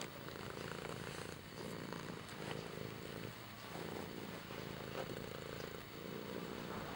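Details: Kimba, a cat, purrs continuously, a deep vibrating drone rising and falling in even breath-length waves, a few light ticks above it.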